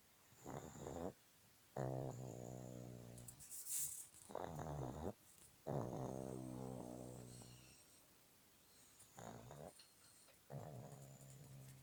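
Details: Snoring pug, boarded at an animal hotel in Petrozavodsk, gives about five rough, rattling breaths, each a buzzy low drone lasting one to two seconds, with brief silences between and faint background hiss.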